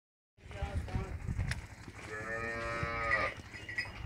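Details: Sahiwal and Friesian cross cow in Pakistan gives one long, drawn-out moo with a rich harmonic stack, swelling and then fading over about a second and a half, with scattered clanks and shuffling around it.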